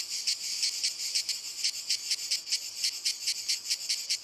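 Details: Close, loud cicada song from walnut trees: a shrill buzzing hiss broken into crisp, evenly spaced pulses, about four each second, over a continuous high drone.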